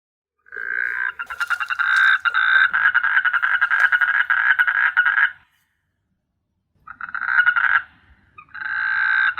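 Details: Frogs calling at night on S.Hulhumeedhoo island in the Maldives, an island teeming with frogs: long, loud rattling croak trains pulsing rapidly for several seconds, a pause, then more bursts of the same buzzy, pulsed croaking.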